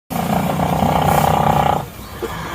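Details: A horse snoring in deep sleep: one loud, rough, buzzing drawn-out snore lasting almost two seconds with a pulsing rattle, then stopping abruptly, followed by quieter breathing noise.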